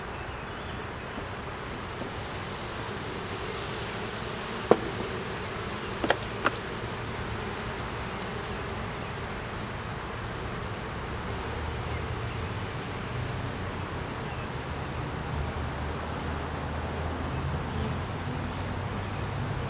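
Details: Low, full buzz of a honey bee colony in the hive that a split with the original queen was taken from, opened for inspection; dense steady drone with a deep hum underneath and a few brief clicks near five to six seconds.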